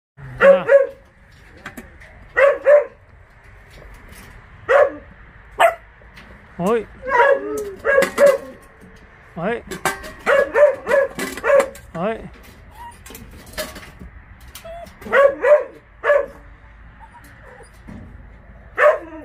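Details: Laika, a Russian hunting dog, giving short sharp barks, often in pairs, repeated every second or two through the stretch, with people talking nearby between the barks.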